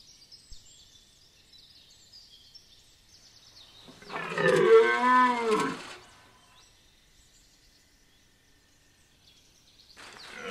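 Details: A red deer stag at Chambord, France, in September 2021, gives one deep, hoarse rutting bellow lasting about two seconds.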